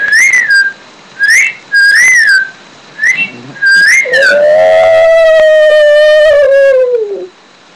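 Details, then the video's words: Pet Shih Tzu Daisy gives a long, steady howl lasting about three seconds that sags in pitch at the end. It follows a run of short, high, arching human whistles. "shih tzu houling"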